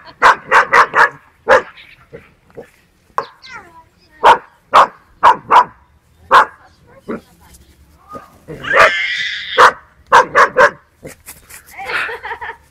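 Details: Dog yapping at a cow in footage from 1969 while the cow tries without success to scare it away. Sharp, bright barks come in quick bursts of two to four, with a longer harsh wavering cry midway and quiet gaps between.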